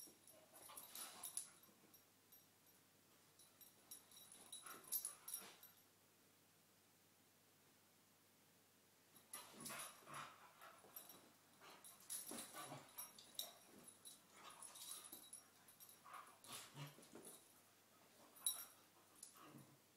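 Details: Two cocker spaniels play fighting in the morning, with bursts of huffing, snuffling grumbles and whiny yips.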